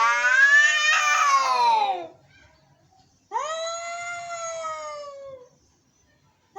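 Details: Angry cats meowing: a loud, harsh two-second yowl sliding downward, a pause, then a clearer drawn-out wail that rises and slowly falls, with another call starting at the end.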